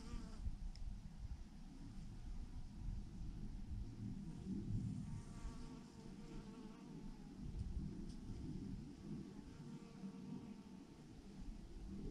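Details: A massive clump of bees hanging from a branch produces a thick, unbroken low droning hum with gentle surges in loudness.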